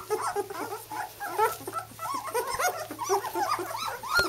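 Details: Young White German Shepherd puppies, two weeks old, learning to walk indoors. Several voices give continuous short, curved whines and squeaks, overlapping irregularly, ending in one louder high cry.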